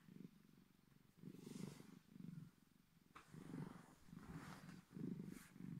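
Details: A Bengal cat gives the incredibly deep purr he makes only when he feels like it: a loud, low, rumbling throb that swells and fades with each breath.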